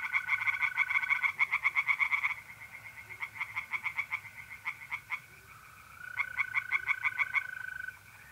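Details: Tree frogs singing at night in a pond in north-east Italy in mid-April: rapid pulsed croaks in bursts of a few seconds with brief pauses, over a steady high trill of mole crickets.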